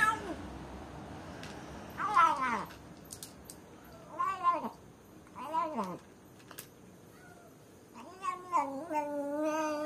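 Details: A lone cat shut in a cage calls out for someone with four drawn-out, wavering meows spaced a couple of seconds apart, each rising and then sliding down, with faint soft clatter between cries.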